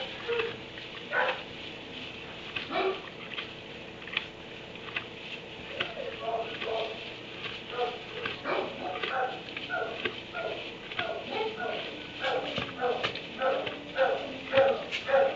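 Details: Kennelled dog in a barn at 3am, barking in rapid irregular runs of short, sharp harmonic barks, busier toward the end, with a faint continuous background hum throughout.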